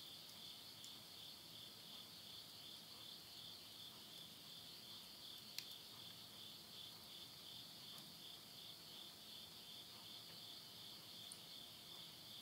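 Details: Midnight insect chorus at summer's end, September 2020, in Yurihama, Tottori, Japan. A continuous bright, high buzzing trill dominates, with an occasional faint snap from burning wood in a stove.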